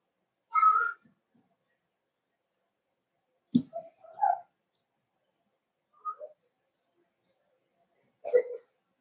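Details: Cavalier King Charles Spaniel puppies in an indoor breeder's puppy pen on 12/13/22, during socialization with older dogs. Short high whines and yelps come in separate bursts a few seconds apart, with quiet gaps between them.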